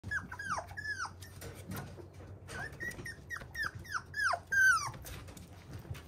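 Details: Fluffy male Toy Poodle indoors, giving a series of short, high whimpers that slide downward, in bursts with brief pauses, ending on a longer, louder whine.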